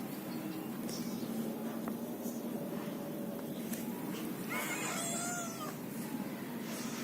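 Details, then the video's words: Kitten giving a single high, thin meow with stacked harmonics around the fifth second, preceded by soft clicks and faint rustling over a steady background hum. "Baby Cats Cute and Funny Baby Cat Videos Compilation"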